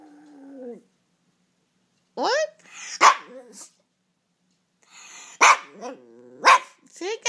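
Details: Japanese Chin dog howling indoors; wavering, yodel-like woo-woo calls that rise and fall in pitch, given in short bursts separated by pauses, with a person speaking nearby.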